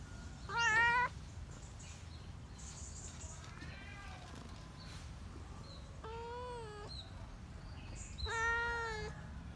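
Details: Out in the countryside, a cat repeats four drawn-out meows, some louder and some softer, spaced a couple of seconds apart against a constant low rumble.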